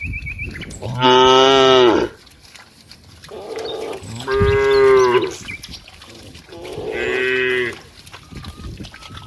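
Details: Cows, dozens of them playing with friends in green rice fields, give three long, drawn-out harmonic moos, each about one to two seconds long, separated by short quiet gaps.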